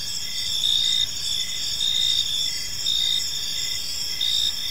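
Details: In a quiet park as evening falls, crickets keep up a bright, piercing chirp, pulsed rhythmically roughly every second, over an unbroken high-pitched drone.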